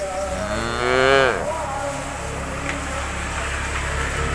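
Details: Cattle eating grass in a cowshed, with one loud moo rising then dropping sharply over about a second, then steady background noise.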